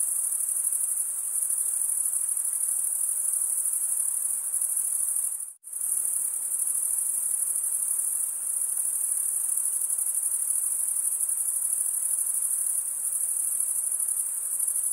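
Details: Male crickets stridulating with their wings give a bright, unbroken high trill that cuts out abruptly for about half a second near the middle, then resumes at the same steady, rapid pulse.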